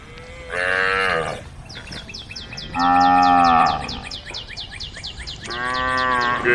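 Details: A group of tame cows on a road calls the herd with three drawn-out, resonant moos spaced about two seconds apart, the last rising in strength. Rhythmic bird chirps repeat between the calls.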